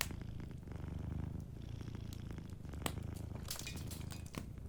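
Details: Domestic cat asleep by a cozy fireplace, its low rhythmic purr pulsing in breath-length waves while bright crackling snaps of burning wood flicker above it.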